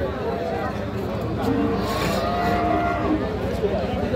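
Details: Friesian and crossbred heifer calves at Aftabganj cattle market, Nababganj, Dinajpur, Bangladesh, on Tuesday 3 December 2024. A drawn-out, low harmonic moo rises and falls over a dense, constant murmur of market crowd and voices.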